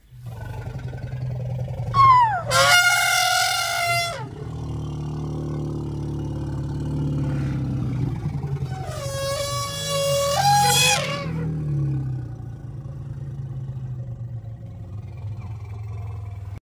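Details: Elephant trumpeting: two loud, brassy, harmonic blasts, each lasting about a second and a half, with a short rising-then-falling squeal at their start, separated by a deep, steady rumble.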